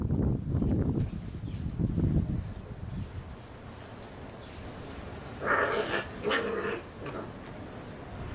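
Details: Six-week-old Labrador Retriever puppies: low, rough grumbling noises fill the first seconds, then a quieter stretch gives way to two short, harsh yelping bursts near the end.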